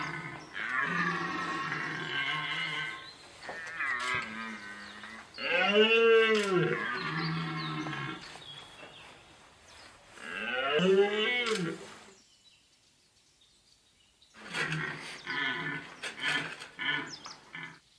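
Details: A red deer stag bellows during the rut in a Vercors forest, France, on 30 September 2022, in fog and 3 °C cold: deep, drawn-out groans that swell and fall, about two seconds each.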